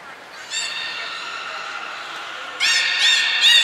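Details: Beluga at Port of Nagoya Public Aquarium, 14 March 2021, among Hodoi, Taanya and Mirai during a pool move and training session. A steady harmonic drone runs for seconds, then gives way to bursts of upward-sweeping squeaky whistles near the end.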